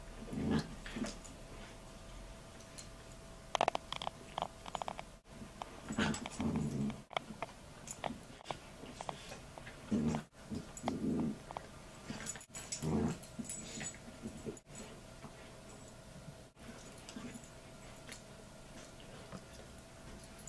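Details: Two Bichon Frise dogs play fighting indoors over a toy, the older one having been playing with it first; bursts of low growling and snarls come in short clusters, with thumps, scuffling and brief gaps between bouts.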